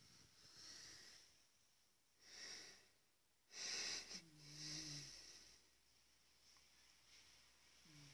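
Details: A large domestic cat snores, captured with a smartphone: airy, wheezing breaths swell and fade, then a steady low droning snore holds for about a second, with quiet room tone between breaths.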